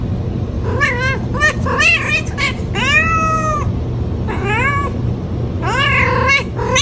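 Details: Domestic cat giving a fast run of insistent meows, several short calls then a long whining meow near the middle and more rising-falling meows after, over a constant low background hum.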